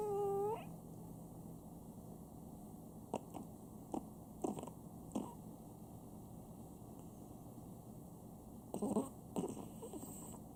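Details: Pet Chihuahua named Sam snoring at home indoors: a soft, steady low rumble of breathing with irregular brief snorting bursts, clustered around the middle and near the end, plus a short rising whistle-like tone at the very start.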